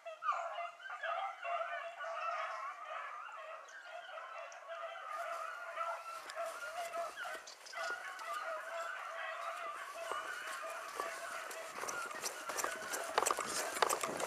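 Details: A pack of beagles, Ribo and Mira among them, in full cry after a hare that ran through water. Sustained overlapping baying continues throughout, growing denser with rustling and clicking noise in the later seconds.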